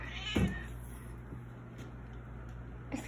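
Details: Pet cat begging for food while a bowl of dry food sits untouched: one brief, rough meow near the start, then mostly quiet room hum with a faint click at the end.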